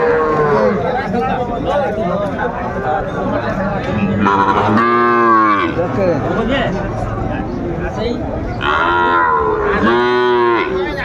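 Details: Sahiwal bull calves at a Comilla, Bangladesh cattle market on 10 February 2025: two strong harmonic moos around 5 and 9–10.5 seconds, with fainter lowing between and constant crowd talk.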